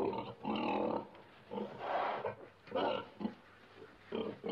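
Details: Pig grunting and oinking in a series of short harmonic bursts, about five separate calls spread over four and a half seconds, with quieter gaps between them.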